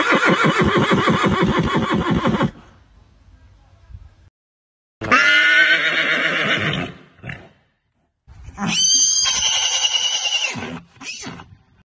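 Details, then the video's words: Three whinnies from a horse: a long, pulsing, throaty neigh of about two and a half seconds, then two higher, brighter quavering neighs of about two seconds each, separated by short silences. "Horse neighing Sound Effects"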